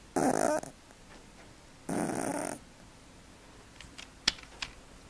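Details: Snoring cat deep in sleep gives two hoarse, airy snores about a second and a half apart, followed by faint clicks and small rustling noises.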